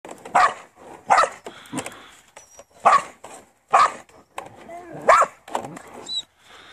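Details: Farm working Border Collie giving sharp, mid-pitched barks in short single bursts spaced roughly a second apart, with quiet gaps and faint background noise between them.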